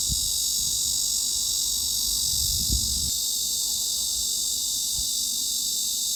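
A steady, high, hissing cicada drone runs without a break, sounding filtered to a narrow upper band.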